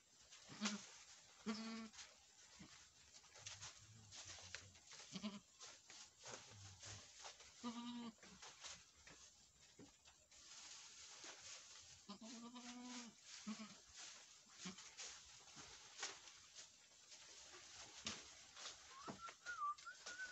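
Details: Boer goat bleating on a Nepali farm after a first-time doe successfully gave birth to a male kid. Nasal, harmonic bleats repeat every few seconds, some doubled, with a longer wavering bleat midway, over rustling and knocking farm background.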